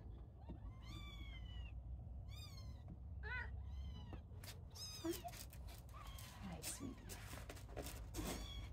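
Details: Several little kittens playing indoors and beginning to climb give thin, high mews, a few arched rising-falling cries spread over several seconds, quiet against a steady low rumble with rustling and handling noise.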